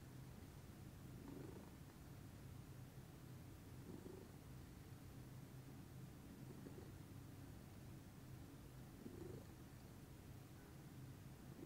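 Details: Lilac Scottish Fold cat, a female, purring calmly in the morning: a steady low rumbling purr throughout, with soft breathy swells every two to three seconds as she breathes in and out.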